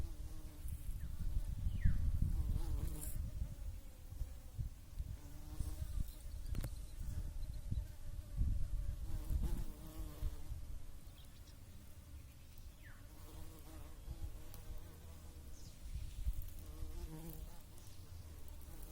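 Bees hum with a low, steady buzz that swells and fades as they fly close by.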